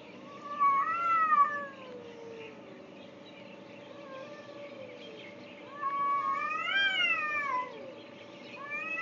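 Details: Two cats heard in Afghanistan in 2010 while walking back to a tent on deployment; long, wavering meows with rising then falling pitch, two drawn-out calls several seconds apart and a third starting at the end, over a steady low hum.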